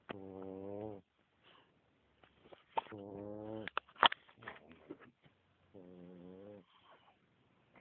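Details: French Bulldog snoring: three drawn-out, buzzy, harmonic snores, each about a second long and spaced a few seconds apart, with soft clicks and snuffles in between, recorded quietly.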